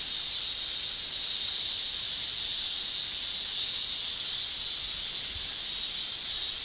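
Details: Summer cicadas in Japan, males producing tymbal song: a constant, thin, very high buzz with little change in loudness throughout.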